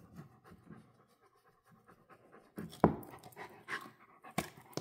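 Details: Central Asian Shepherd puppy Zola, a female, panting while she plays with a bone: quiet, quick huffing breaths at first, then louder sharp knocks and scrapes, with a person's voice speaking to her near the end.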